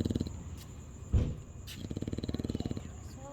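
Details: A dog asleep and snoring: a long, low, fluttering rattle of rapid pulses, with a brief soft voice-like sound partway through.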